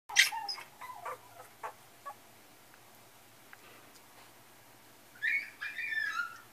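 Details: Female Yorkshire Terrier; several sharp clicks and short yips open the recording, then quiet, then a pair of high, wavering whines near the end.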